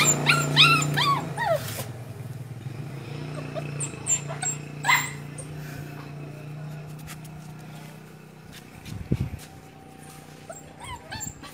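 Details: Pug puppy a little over one month old, trying to climb into a car to get back to its mother, gives brief high rising whines early on and again midway, over a steady low hum with a dull thump.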